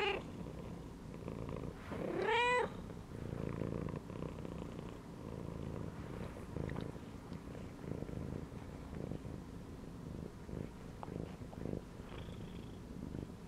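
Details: Domestic cat relaxing inside a gym belt gives a rising harmonic meow, then purrs in a low pulsing rumble with breath-paced swells, a faint brief high squeak near the end.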